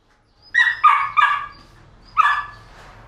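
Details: Paraluman, a Belgian Malinois working dog, gives three quick, sharp barks in close succession, then a short pause and one more bark, each bark tonal and mid-pitched against a quiet background.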